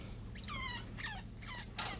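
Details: Newborn chinchilla (Chinchilla lanigera) kits, a little male with his mother, give thin, high squeaks, each wavering and then falling away, as if already talking to her.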